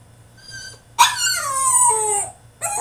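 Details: Caged French Bulldog in a tantrum lets out a soft whine, then a sudden loud cry that slides downward and holds for over a second before breaking off, followed by another sharp outburst.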